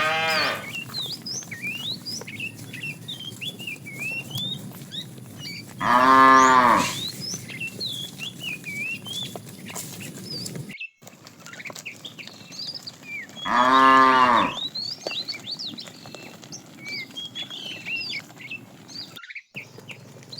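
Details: Fat cow among a herd of tame cows driven in the afternoon, calling the female with two rising-and-falling moos about eight seconds apart, amid steady chirping of small birds.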